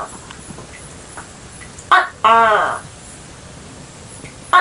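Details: A single tokay gecko call: an abrupt clicking burst followed at once by a half-second nasal, arched 'kek' with layered harmonics, then quiet hiss and the start of another click at the end.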